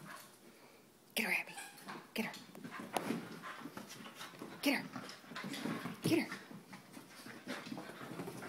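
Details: Two Soft Coated Wheaten Terriers at play, giving short harsh growl-like bursts a second or more apart, with panting between, while a person repeatedly urges them on.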